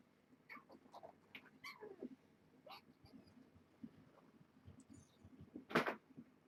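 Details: Young kittens being weighed in a rescue foster litter from Purrfect Pals, mother Nala Se. Short falling mews, a few in quick succession, then a sharp noisy burst near the end amid handling sounds.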